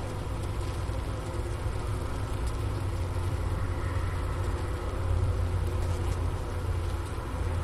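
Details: Deep, steady humming of a honey bee colony overwintering in its hive, recorded with a Sony ICD-PX370 placed at the inner-cover hole by a sugar brick. Wooster campus, Ohio State University, about 4 PM on January 16, 2024, 15°F outside. The hum swells slightly toward the end.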